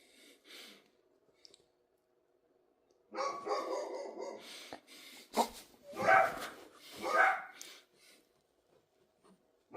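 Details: Dog barking in uneven bursts after a quiet start, with two louder, sharper barks near the end and softer breathy noises in between.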